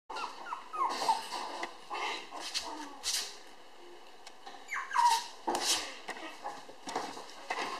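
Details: Red female Toy Poodle puppy, born May 24 and filmed June 30 at 700 g, gives scattered thin high whines and brief squeaks between soft clicks and knocks indoors.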